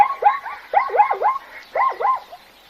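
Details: Zebra giving three short bursts of yelping, arched barks, each burst of two or three quick notes falling and rising, separated by short silences.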